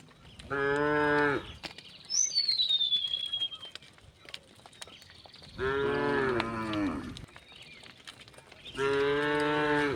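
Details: Tame cows walking over a wooden bridge toward green pastures; three loud, steady moos about four seconds apart, each around a second long, with a sliding bird whistle in the quieter gap.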